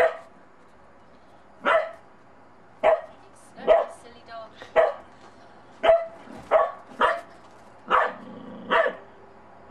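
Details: Monty the Bedlington Terrier puppy, uneasy about a snowman during his first time in snow, barks repeatedly: about a dozen sharp, evenly loud barks spread unevenly over the stretch, with faint speech nearby.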